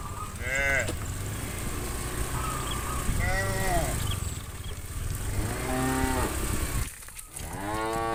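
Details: Cows being herded from the farm to the field in the morning, a herd of thousands. Several rising-and-falling drawn-out moos sound at intervals over steady rumbling background noise, with some flat, higher tones mixed in.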